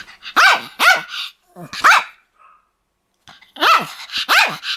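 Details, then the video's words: Pomeranian dog, described as attacking people, giving shrill, high-pitched yaps in two quick bursts of two or three barks each, separated by a short silence, with bright arching tone. "ポメラニアンの犬の鳴き声 (人間襲います)"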